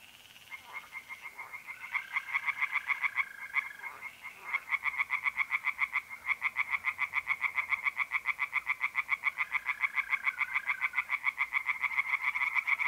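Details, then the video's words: Pond tree frogs on an April night in north-east Italy build into a dense, continuous chorus of quick harsh croaking pulses. Smooth, steady mole cricket trills rise and fall in the background. "singing tree frogs in pond"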